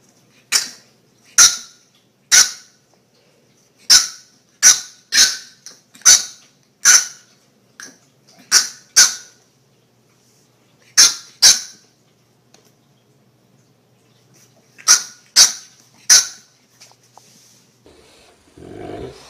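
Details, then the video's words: Dog from a funny compilation of angry barking and growling dogs: a run of about fourteen high, clipped yaps in irregular bursts of two to four, with a brief pause midway and a muffled thump at the end. "funny dogs barking and growling"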